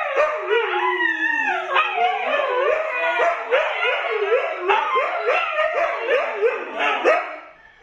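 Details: Siberian Huskies Luna, Gizmo and Arya with their puppies howling together: several overlapping voices in wavering, sliding howls, one long falling howl at the start, then a chorus of short rising-and-falling yodel-like wails pulsing roughly every half second.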